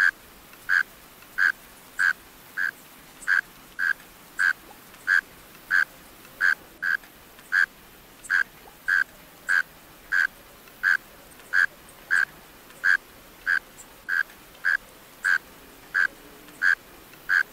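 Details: Male mole cricket calling from a closed burrow: a steady series of short, buzzy chirps, each a brief pulsed trill, repeated about one and a half times per second, roughly 25 chirps over a quiet background.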